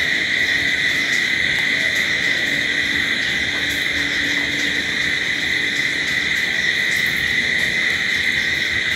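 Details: Cricket chorus at night: a persistent, ringing insect drone with a strong mid-high band and higher echoes, a faint low steady tone passing underneath.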